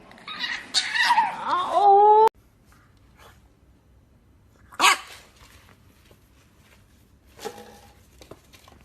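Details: English Bulldog puppy giving a loud, high, wavering whine with sliding tonal pitch for about two seconds, then sudden quiet broken only by a few short clicks and rustles indoors.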